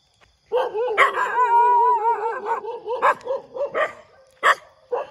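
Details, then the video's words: Dog barking in the morning: a drawn-out, wavering, whining howl-like tone runs through the first seconds, broken by short sharp barks that keep coming at uneven intervals toward the end. "หมาเห่า เสียงหมาเห่าตอนเช้า"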